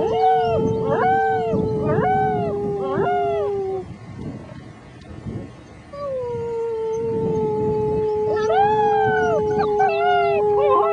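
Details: Young German Shepherd puppies aged six weeks join a human in a howling "blues" session: bursts of arched, repeated wavering yips over a steady drawn-out tone, a pause, then more arched howls.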